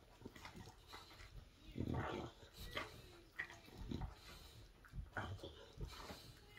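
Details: An English Bulldog chews a bone noisily, with irregular wet, crunching and snorting bursts.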